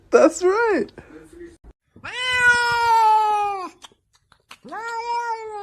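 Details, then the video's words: Domestic cat talking indoors: three long, drawn-out meows, the first short and wavering, the second a sustained wail of over a second and a half, the third steady and trailing off. "Funny CATs Talking"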